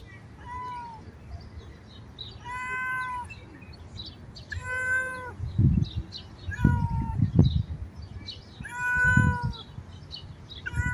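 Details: Mother cat outdoors in nature with her kittens, giving a series of clear, harmonic meows, each about half a second long, repeated every two seconds or so, some rising then falling; low rumbling handling noise and thumps between calls.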